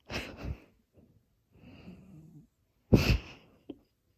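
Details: Sleeping house cat Pierre snores close up: loud raspy wheezing breaths alternate with a quieter, humming, drawn-out inhale in between, all in a quiet indoor room.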